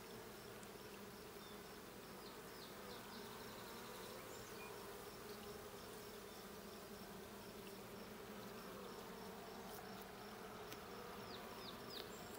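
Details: Continuous humming drone of honey bees around a hive being checked, even and unbroken, with thin chirping birdsong repeating faintly above and a soft knock at the end.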